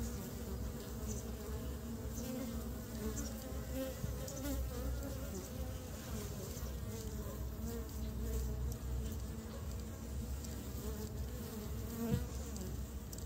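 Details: Honey bees collecting pollen to build their nest at the start of spring; a dense, continuous low buzzing with rising and falling whines as single bees fly past, steady throughout.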